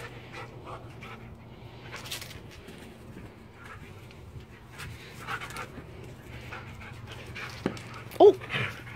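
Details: Large dog playing for the first time with a tiny companion dog, breathing in quick, quiet panting bursts against a low hum, ending with a short high whimper or yelp near the close.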